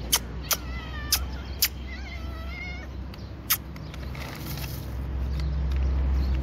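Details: A hungry cat feeding on dry fish gives several clear, harmonic meows with bending pitch early on. Sharp crunching clicks are heard, and a low background hum grows louder toward the end.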